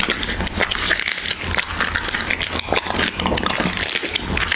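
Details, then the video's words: Siberian Husky eating raw beef, close up: dense wet crunching and chewing clicks, irregular and continuous, with soft smacking between bites and no other clear sounds. "Husky ASMR | Mukbang eating raw beef"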